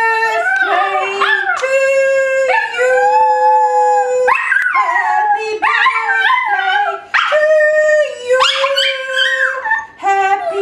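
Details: A male Chihuahua, probably a mix, almost a year old, howls along to Happy Birthday in long, drawn-out, tuneful notes. Steady held tones alternate with sliding rises and wavering breaks, loud throughout, with short pauses between phrases.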